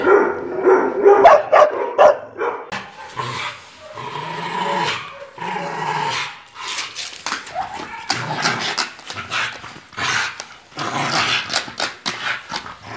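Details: Dog in Brazil barking loudly in irregular bursts, with some short rapid barks and longer, harsher ones. Noisy, echoing background with overlapping sounds throughout.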